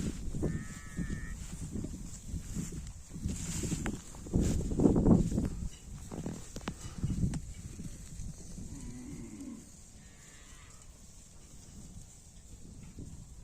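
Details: A cow in a rice field moos to call its companions: a loud, low, drawn-out bellow near the middle, with fainter calls later and steady outdoor background hiss throughout.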